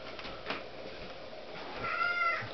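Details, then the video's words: A hungry female kitten, vocal when she wants food, gives a short, thin, rising-then-falling meow near the end, while a woman talks to her about food in a room. "hungry talking kitten"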